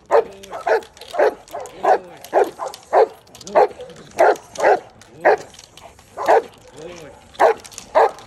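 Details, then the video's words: Giant Schnauzer barking during personal protection training, a run of deep, forceful barks repeated roughly every half second to second, some doubled, with a few brief human voices in the gaps. "HUGE Giant Schnauzer Personal Protection Training"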